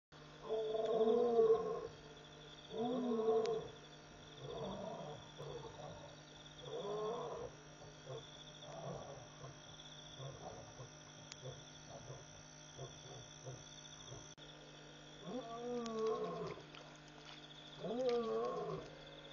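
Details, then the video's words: Wild lions calling repeatedly after midnight at a waterhole, Pete's Pond in Mashatu Game Reserve, Botswana; a series of moaning grunts in bursts about every two seconds, fading then returning louder near the end, with steady insect hum behind. "Lion Calling...and Calling"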